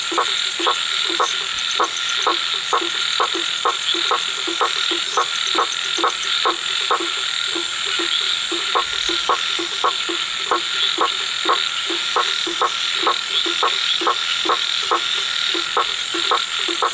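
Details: Frog calling at night, giving short, hard croaks in a steady series, a bit more than two per second throughout, over a constant high-pitched insect drone.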